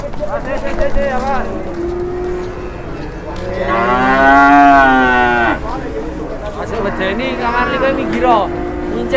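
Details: Enraged cattle just unloaded from a truck in Indonesia, described as wild and charging: a loud, drawn-out harmonic moo peaking mid-clip, with shorter lowing before and after and people shouting nearby.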